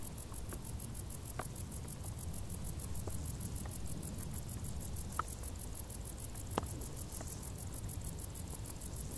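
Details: Crickets in tall grass during a hot summer, a fast, steady train of high, pulsed chirps running without pause above a dull low rumble, with scattered soft ticks and taps.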